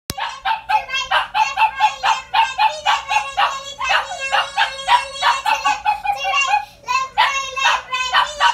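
A dog 'sings' in a run of high, quavering, voice-like yowls that rise and fall in quick pulses.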